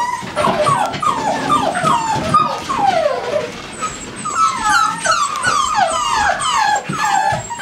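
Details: A chorus of American Staffordshire Terriers at a kennel whimpers continuously. Many short, high, downward-bending squeals overlap in quick succession.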